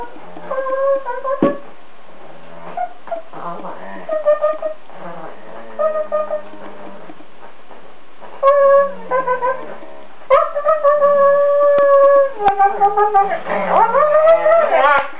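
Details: Two Siberian Huskies playing on bean bags and "talking": drawn-out, wavering, howl-like yowls with strong harmonics, rising and falling in pitch, coming in bursts with short pauses, louder and longer toward the end.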